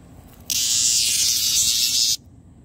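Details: A cicada, recorded on September 2, 2022, gives a steady, high, hissing buzz that starts and stops abruptly.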